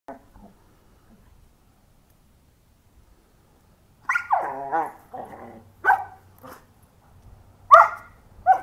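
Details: A 5-month-old German Shepherd and a 3-year-old red Doberman fight over a rope in Tucson, Arizona; after four quiet seconds comes a long rough growl, then short harsh barking bursts that recur about once a second.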